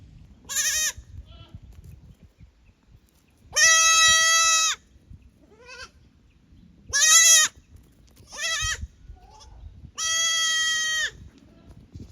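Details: Young goats at Yoshigake goat farm in Japan, visiting the upper pasture from the lower one on 15 May 2024; loud, long wavering bleats with rich harmonics, about five calls spaced a few seconds apart over quiet background.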